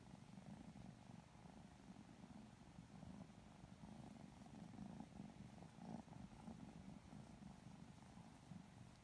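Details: Two Lilac Modern Lynx Balinese kittens purring sleepily while being petted and cuddled indoors; a steady low rumbling purr runs throughout with soft rustling of fur and hands.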